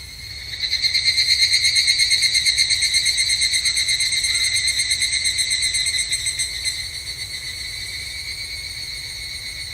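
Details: Higurashi, the evening cicada, heard at a temple in Japanese summer: a bright, pulsing, bell-like trill starts abruptly, rings loudly for about six seconds, then drops to a quieter continuing trill.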